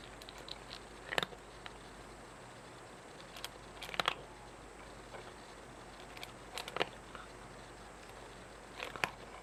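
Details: A cat eating indoors, chewing its food: short dry crunching bursts, some in quick double or triple clusters, arrive every one to two seconds over a quiet, steady room hum, with no voices or other animals.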